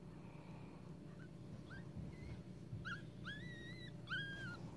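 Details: Newborn Pekingese puppies indoors giving thin, high squeaks and whines, short rising then longer level-falling peeps, clustering toward the end over a low steady background rumble.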